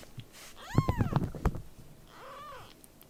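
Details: A rescued baby kitten gives one clear arched mew, followed by a fainter, shorter one. Loud low thumps and handling noise run under the first cry.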